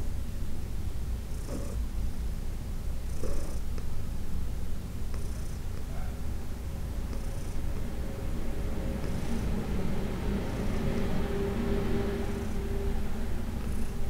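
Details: Heidi, a 14-year-old senior female cat adopted from the Humane Society of New York City, purring during a massage: a steady low rumbling drone throughout, with faint soft rustles and touches of hands on fur.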